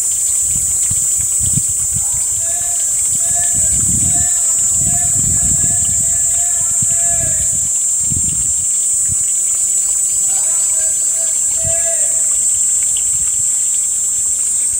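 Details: Cicada, a species emerging after the apache cicada in late April–June, buzzing shrilly on a hot summer day in Panchkula, 2 May 2021, a high, steady buzz running unbroken throughout, with people talking nearby.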